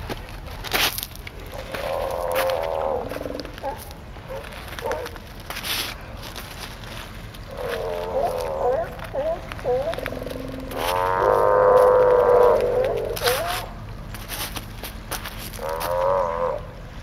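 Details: A raft of male California sea lions calling together in chorus: overlapping wavering, harmonic moans and barks that swell and fade in long phrases, with shuffling footsteps and handling knocks from the person walking over logs.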